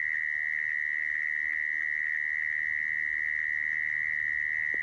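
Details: Mole cricket call used as a lure for trapping crickets: a steady, unbroken buzzy trill on one high pitch with faint overtones above, continuing without pause, over a low background hum.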